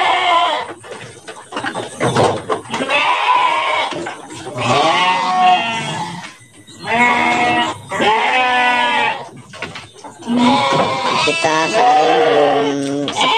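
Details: Several large Garut sheep in a bamboo pen in Indonesia, prepared for Qurban 2024; repeated wavering, nasal bleats overlap one another in long bursts, separated by short pauses and pen noise.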